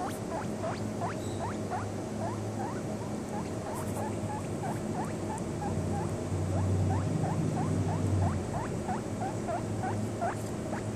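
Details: Seven-day-old baby guinea pig feeding on bottled milk, giving quick upward-sliding squeaks in a fast, loosely regular series, roughly three per second, with constant low hum beneath and a slight swell in loudness near the end.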